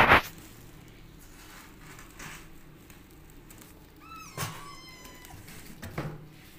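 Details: Rescued orphan kitten beside a nursing mother cat feeding milk: a single high, clear meow with stacked harmonics, rising then falling and trailing off, set among quiet room noise, soft rustles and a few brief thumps.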